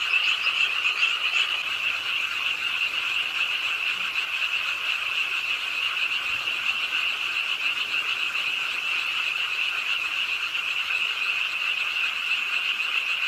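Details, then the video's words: Frogs croaking at a pond edge in Ingye Art Park, Suwon, late on a rainy night in an urban park; a dense, continuous chorus of overlapping shrill trilled croaks forming a steady buzzing wall of sound throughout. "비오는 밤 개구리소리, Do you hear the frogs? 비오는 밤 공원 연못 추억의 개구리 소리, Frog Sounds, 빗소리와 함께 듣는 개구리 우는 소리"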